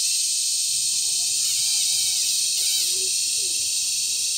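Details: Cicadas giving loud mating calls during cicada season at Sitio Bagumbayan, Brgy. Balabag, La Carlota City, Negros Occidental, on July 18, 2020. A steady, intense high hissing buzz fills the clip without a break, over faint scattered whistled notes lower down.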